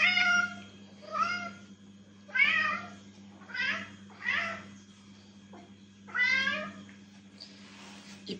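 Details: Domestic cat meowing indoors to draw other cats' attention: five or six harmonic meows, each under a second, rising then falling, spaced roughly one to two seconds apart, over a steady low electrical hum.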